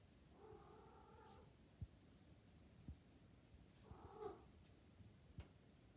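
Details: Maine Coon cat (Felis catus), cooing call: calling while in heat.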